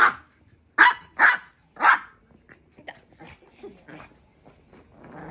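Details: Maltese dog, angry at its owner, giving four loud sharp barks in the first two seconds, then softer scattered yips and sounds over low background noise.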